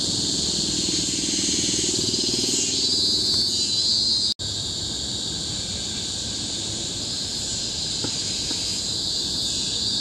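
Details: Tropical forest cicadas on Bukit Timah Hill, Singapore, recorded in 2017, fill the air with a deafening, unbroken high shrilling, a brief sharp cut near the middle, then the steady drone resumes.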